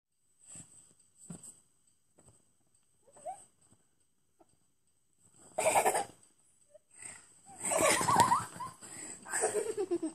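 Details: A small trained female Chihuahua puppy gives soft snuffles, then bursts into harsh, rasping snarls and growls while guarding her favourite towel.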